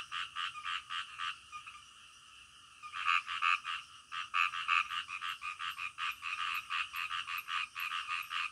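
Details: Frogs croaking in the middle of the night: rapid, rasping pulsed croaks about three per second, pausing briefly near the two-second mark before resuming in a steady, overlapping rhythm with a faint high hiss behind.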